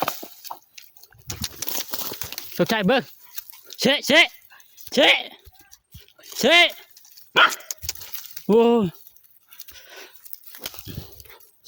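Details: A dog nearly killed and almost blinded in a fight with a cobra, barking in single sharp arched yelps spaced a second or more apart, amid excited human chatter.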